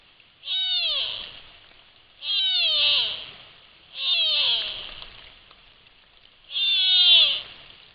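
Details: Sitka black-tailed deer fawn calling for its mother close to a trail camera microphone: four loud, nasal bleats at roughly two-second intervals, each a harmonic-rich cry sliding downward and lasting under a second.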